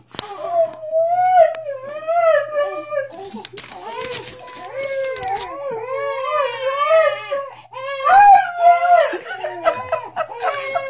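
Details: Indoors, Siberian Husky named Diesel sits by a crying baby girl in her bassinet and howls along, producing wavering, drawn-out tonal wails that overlap the infant's cries, with a burst of human speech partway through.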